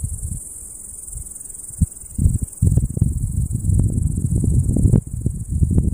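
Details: Summer meadow with cicadas droning, an unbroken shrill high hiss throughout, while gusty low rumbles and bumps come and go underneath.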